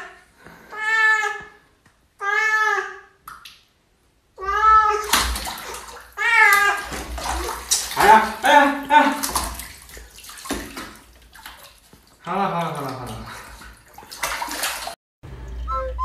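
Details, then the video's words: Pet cat protesting a bath, calling with repeated long, wavering meows, first two clean and spaced about a second apart, then more yowls mixed with splashing water and human speech, ending with a short meow. "Cat's Reaction To Bathing"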